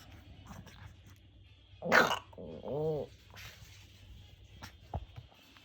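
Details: Shih Tzu at a dog lesson giving its 'gao' bark: a sharp burst followed by a short, throaty, growling bark with a rough tone, then quiet background.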